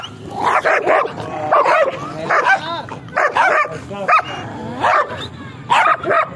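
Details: Large stock-coat German Shepherd barking at about one bark per second, each bark a hoarse, forceful burst with a bent tonal whine, slightly irregular rhythm, faint low rumble underneath.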